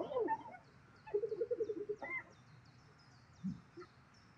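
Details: Amid a daily food battle with lions in Zambia's South Luangwa National Park, a spotted hyena gives a rapid run of about eight staccato giggling notes, bracketed by brief yelps and a low grunt.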